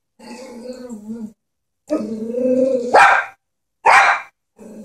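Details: A Chihuahua, fearful of a stuffed toy horse, produces a long, harmonic growl. A second, longer growl swells and rises into a loud, harsh bark, then another explosive bark comes, and a soft growl returns at the end.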